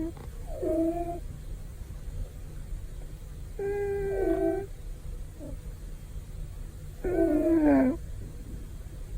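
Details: Male pet cat snoring loudly and comfortably during a daytime nap: three separate whistly, nasal snores with a slight downward bend, spaced a few seconds apart over a quiet indoor background.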